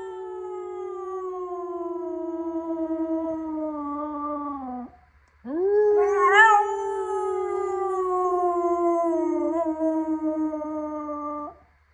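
A Hungarian Vizsla howls twice in long, drawn-out notes. The first gently falls in pitch, and after a brief breath the second rises sharply, wavers near its peak, then sinks steadily before stopping.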